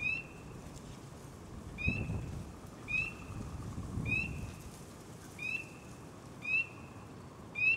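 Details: A single frog calling from the water's edge, its vibrations sending small ripples around it. Short rising chirps with buzzy overtones repeat roughly once a second, with low rumbling noise beneath.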